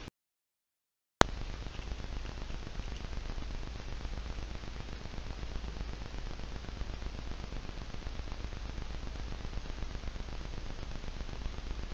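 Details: After a brief silence, a steady broadband hiss with a strong low rumble fills the rest of the recording. No animal voice can be picked out above the noise.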